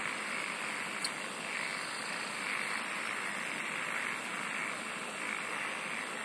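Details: A steady wall of insect song, a buzzing middle-pitched band under constant hiss, joined halfway through by a very high, fast pulsed trill lasting about two seconds, with one sharp click early on.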